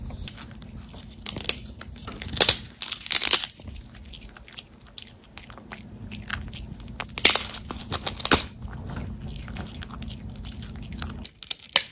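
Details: Loud crunchy bites and chewing of dried fish sticks in a small room, in bursts over a low steady hum, with no vocal sounds.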